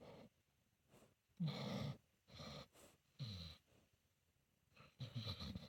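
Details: Solomon, a senior pit bull mix, snores while asleep: a run of rough, low, rattling breaths in separate bursts about a second apart, each rasping inhale loud and throaty against a quiet room.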